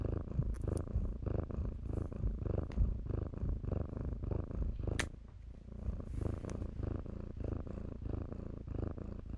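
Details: Kittens in blankets purr with a strong, throbbing low rumble that briefly drops quieter around the midpoint before resuming, with sharp rustle and scratch sounds from the bedding.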